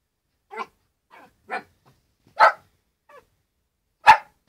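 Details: A 13-week-old male Shetland sheepdog puppy barks at his reflection in a mirror, giving short, sharp, high barks spaced unevenly with softer yips between.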